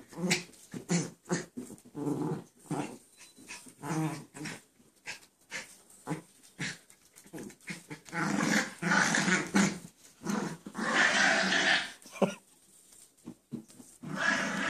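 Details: Indoor play between two pet dogs, one staying down on the floor; irregular rapid growls, snorts and breathy grumbles, with a denser stretch of louder rasping noises in the middle and brief quiet pauses.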